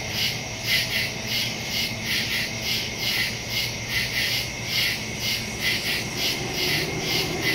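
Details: Crickets chirping at night in the woods, recorded September 2, 2023 on a Samsung Galaxy S22 Ultra phone with a Shure MV88+ stereo microphone; many overlapping high pulsed trills rise and fall in quick beats, with a steady high hum beneath.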